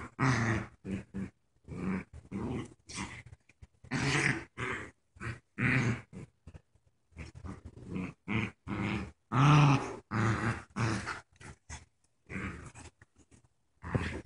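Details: Two young dogs playing tug of war, one a paralyzed puppy wearing a diaper; bursts of low, rough growling and grunting in short pulses, with gaps of quiet between.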